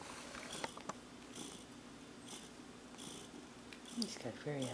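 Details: A contented, relaxed house cat purrs indoors with a low, steady, rhythmic rumble. A person's voice joins briefly at the end.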